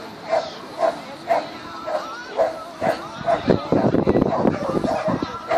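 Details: Agility competitor Xcell, a Border Collie at the Border Collie Classic 2016, gives evenly spaced sharp barks, then the barking mixes with a swell of crowd cheering and talk before one last bark.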